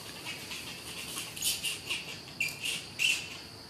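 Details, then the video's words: Hungry orphaned baby monkeys at feeding time give faint, high-pitched squeaky chirps in short bursts, several clustered between one and a half and three seconds, over a soft hiss of background noise. "Feeding orphaned baby monkeys - They are very hungry"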